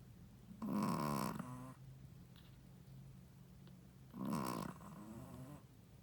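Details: Snoring of a sleeping Shih Tzu mother dog, a first-time mother: two rasping, harmonic-rich snores about three seconds apart, each near half a second long, with soft breathy sounds between them.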